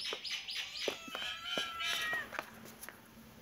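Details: Kitten and cat playing together in a happy mood: a quick series of high, thin mews with harmonic overtones, about four per second, then softer scattered chirps as the calls fade.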